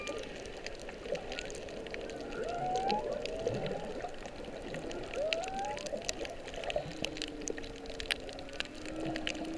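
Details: Whales singing underwater off Kihei, Maui, on March 15, 2016, late in whale season, possibly while birthing, picked up by a GoPro Hero 3+ during snorkeling: rising whistled sweeps and long drawn tonal moans over constant crackling, clicking water noise.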